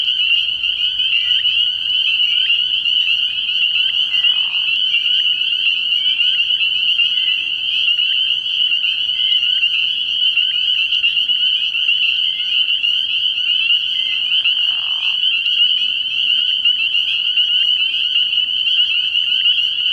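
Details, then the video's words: Spring peepers calling in a large chorus from a frog pond at night early in the year; dense overlapping high, shrill peeps merge into a steady ringing wall of sound, with a couple of brief lower murmurs. "Relaxing Tree Frog Sounds"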